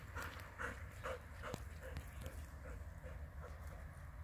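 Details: Female Labrador retriever that loves swimming, pulling herself out of water by gripping a rope in her teeth; soft, breathy rhythmic pants about twice a second over a steady low rumble, with faint clicks.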